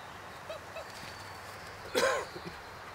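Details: A 6-week-old German Shorthaired Pointer cross puppy gives two faint squeaks, then one sharp, high yelp, while playing and running around outside with its littermates.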